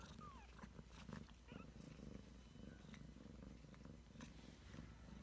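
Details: Ragdoll cat Heather with her 3-week-old kittens: a low, continuous rumbling purr pulses steadily throughout, with a faint high squeak near the start and soft rustling or handling noises.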